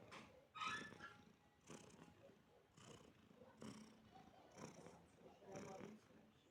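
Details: Cat resting contentedly beside a person, its soft rhythmic purr pulsing roughly every second, with a brief higher sound near the start.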